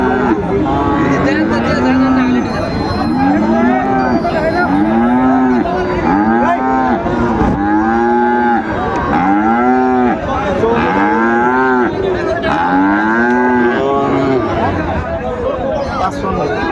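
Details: Sahiwal bulls at a cattle market where Dhaka farmers shop, 14 February 2025: a rapid run of short, arched, nasal moos, roughly ten in sequence about every second and a half, over a low crowd murmur.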